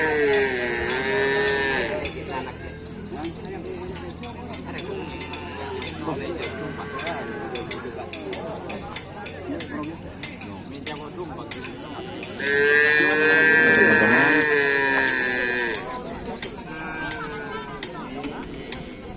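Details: Racing cattle at a Karapan Sapi bull race on Sapudi Island: two long, wavering moos, one at the start and a louder one midway, amid frequent clicks, knocks and men talking.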